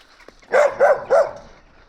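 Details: Two short barks, then a third, come from a stray Gampr found on a street in Abovyan, Armenia. The barks are evenly spaced and mid-pitched, and the dog's owner is being sought.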